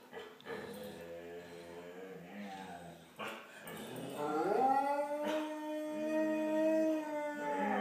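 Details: Five pet Salukis howling together in a group song, one dog starting and another leading: soft, wavering tones swell after a pause into a loud, sustained rising howl, then long steady, overlapping harmonic notes.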